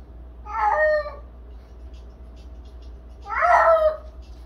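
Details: Indoor cat crying out while running on a cat wheel, something it does daily: two drawn-out, wailing meows about three seconds apart, each with a rising then falling tone, over a faint steady hum.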